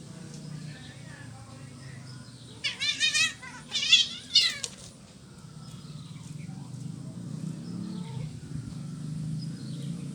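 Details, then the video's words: Cats fighting, one an orange cat: two bursts of harsh, wavering, screeching yowls with a rich upper range, about a second apart, then quiet over a steady low hum. "Kucing Berantem, Kucing Oren Menolak Dimadu"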